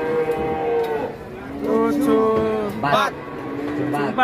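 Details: Giant Pegon cattle nicknamed Leher Beton, the concrete neck, arriving again. Drawn-out, harmonic lowing, several calls of about a second each, with a sharp higher note near the end, over background music and voices.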